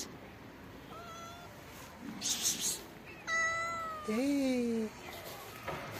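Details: A hungry black kitten waiting under trees to be fed mews several times: thin, level cries, then a louder drawn-out meow that bends downward, with rustling noise between.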